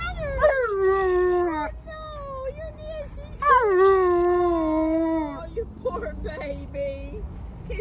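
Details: Alaskan Malamute howling at home, wanting his own window seat; two long drawn-out howls, each starting with a quick rise then falling steadily, followed by shorter wavering whines, a woman's voice briefly heard.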